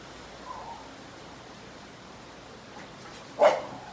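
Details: Pet American Bully playing with a ball, trying to grab it: a faint murmur near the start, then one short, sharp, loud bark at about three and a half seconds over quiet background hiss.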